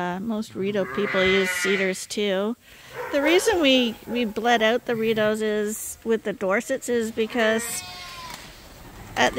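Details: Bottle-fed lambs on a sheep farm, given extra milk because their mothers don't supply enough, give quavering bleats in quick succession. Some calls bend and waver mid-clip, then the sound thins to a lone cry near the end.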